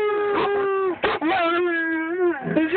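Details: A male German Shepherd howling along with his owner during a car ride gives drawn-out, rich, steady howls that dip slightly at the ends, broken by short gaps and a wavering, whimpering note.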